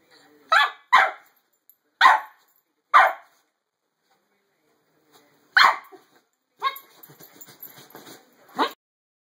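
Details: A 7-month-old Corgi pouncing at feet under the covers gives sharp, clipped barks, singly and in quick pairs, with gaps of a second or more.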